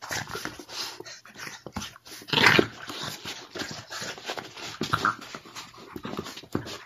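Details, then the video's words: Boston Terrier and French Bulldog mix wrestling playfully with a second dog; rough snorts, grunts and short growly bursts come in quick uneven succession, one loud burst near the middle, over constant scuffling. "Epic and hilarious doggy play-fight"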